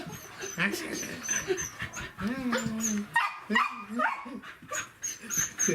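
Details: Welsh Corgi chasing a laser pointer indoors: high, wavering whines and yelps, one held steady for about a second, mixed with people talking in Japanese.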